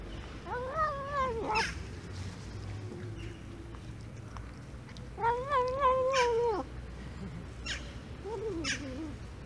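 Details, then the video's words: Domestic cat meowing non-stop while eating in winter. Drawn-out meows rise and fall, with three main bouts and several shorter calls between them, over a steady low background hum. "Bu Kedi Yemek Yerken Durmadan Konuşuyor │This Cat Non Stop Talks While Eating"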